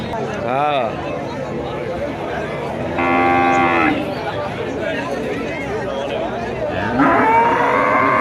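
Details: Three separate moos from cattle at the Kuchiya Mara cattle and goat market, 26 May 2026: a short wavering one, a firm one-second low call, then a rising bellow at the end, set against busy market chatter.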